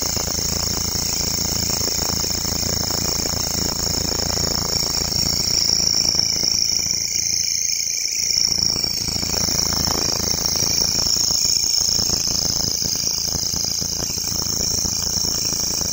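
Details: In a local forest, a grasshopper keeps up a steady, piercing high buzz, briefly dipping slightly midway before carrying on unchanged, with a low background hum throughout.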